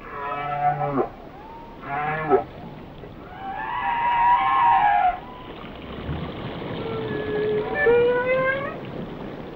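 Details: Whale song: two short pulsed groans, then a sustained wavering cry rich in harmonics, followed by a slow rising whistle that climbs in pitch, over steady water noise.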